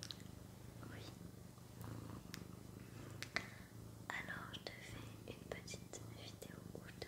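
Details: Domestic cat Sakura purrs indoors in a small room, a continuous low throbbing hum heard beneath close whispered French speech and occasional light clicks.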